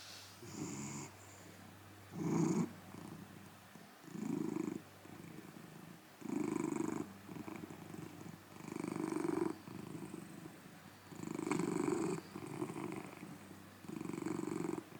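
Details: Large golden tabby Scottish Fold cat indoors, snoring turning into loud purring, 9 June 2024: deep rumbling purr bursts about every two seconds, each lasting roughly a second, separated by softer breaths.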